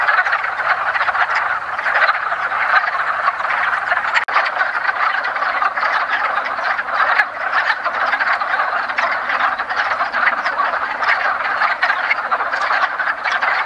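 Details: Wood frogs in a woodland pond chorus during their early spring mating ritual: a dense, continuous mass of overlapping clucking, duck-like croaks from many calling males, steady throughout with no other clear sounds.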